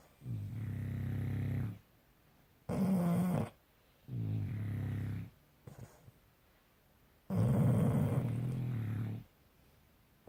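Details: Two pet dogs named Bus and Kat snoring while asleep indoors: low rumbling breaths about two seconds long, separated by short quiet gaps, with a harsher, higher snort on some breaths.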